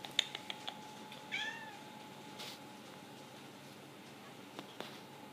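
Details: Domestic cat waiting for its dinner and answering questions with one short, bending meow, otherwise a quiet indoor room with a few soft clicks.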